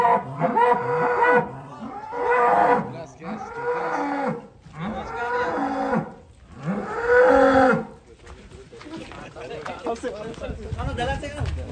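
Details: Very large sacrificial cattle being loaded onto a swaying truck in Indonesia in 2022; five hoarse, harmonic moos follow one another through the first eight seconds, then fade into low rumbling handling noise.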